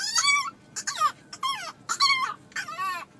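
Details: Dog giving a series of five high whining cries, each about half a second long with falling and wavering pitch, separated by short pauses, over a faint background hiss.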